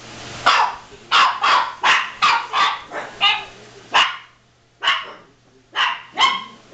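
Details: Domestic dogs dashing around and barking without cause, a quick run of about seven sharp barks followed by sparser single and paired barks, faint low hum in the background.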